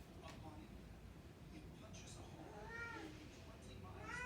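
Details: Burmese cat in a home, eager to go and wake the baby, lets out two short plaintive meows, the second rising sharply at the end, against soft background rumble.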